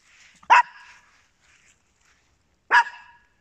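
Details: Two crisp, high yaps from a small house dog, Papillon or Yorkshire Terrier, spaced a little over two seconds apart, each brief and sharp with a short ringing decay and quiet in between.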